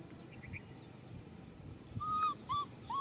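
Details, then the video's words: Infant macaque calling out for a hug. Quiet background hiss for two seconds, then three loud tonal cries in quick succession, the first long and flat-topped, the last rising sharply. "Monkey baby Nui Simon cries out for a hug"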